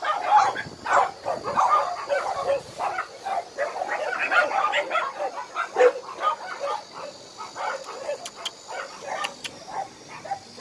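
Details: Many abandoned dogs at Hanna's shelter, a rescue shelter for abandoned dogs in Daegu, bark together in a dense, overlapping chorus of sharp, repeated barks, with faint human voices underneath.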